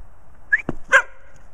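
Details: A pet female dog playing outside in the snow toward evening, jumping, spinning after her tail and running laps, recorded on a Kodak Zi8; a brief human whistle comes first, then one short, sharp bark over a low outdoor rumble.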